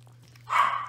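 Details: Toy Australian Shepherd puppy, one of six five-week-old puppies at play, giving a single short, bright yip-like bark that rises sharply and fades, over a steady low electrical hum.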